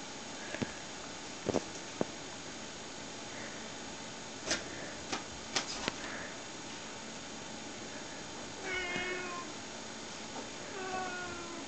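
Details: Several domestic cats, Snowshoes, a Siamese and a British Shorthair, excited indoors while queued in a play tube; soft harmonic meows near the end after a few sharp clicks and knocks, over steady room hiss.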